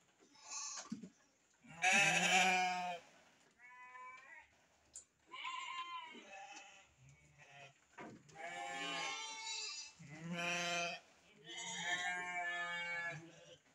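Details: Farmed sheep, ewes with lambs, at an Indonesian breeding farm: a run of about six quavering, nasal bleats over fourteen seconds, some loud and harsh, others thinner and higher, overlapping callers, with light rustling between.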